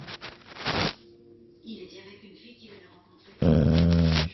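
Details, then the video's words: English Bulldog asleep: soft breathing and a faint murmur, then one loud, rumbling, throaty snore near the end. "Bulldog anglais qui ronfle"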